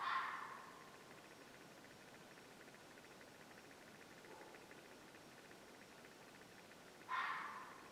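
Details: At dusk on a farm, an animal the owner suspects is a mountain lion gives two harsh, raspy screeches about seven seconds apart. It sounds close, and the noise is heard about once a month.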